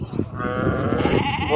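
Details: Dairy goat on a farm in Saudi Arabia, visited in the afternoon to collect milk: a single drawn-out wavering bleat over farmyard background noise.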